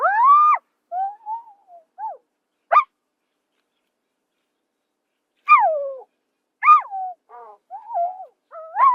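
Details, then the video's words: Zebra voice from the African savanna: tonal, harmonic yelps that drop in pitch. Some are short, wavering squeaks and some are longer. They come in irregular bursts separated by a long quiet gap, with no other sounds present. "SOM DE ZEBRA"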